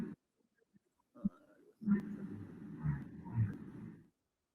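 Humpback whale song: low, rumbling moans and groans that swell and fade, sung to attract females.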